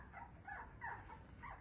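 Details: Beagle puppies giving short, thin, high whimpering squeaks in several brief bursts, with faint background hiss.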